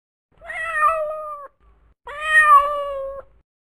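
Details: Two clear, sustained meows from a domestic cat, the second a touch louder and brighter, each lasting around a second with a level pitch that droops slightly before stopping.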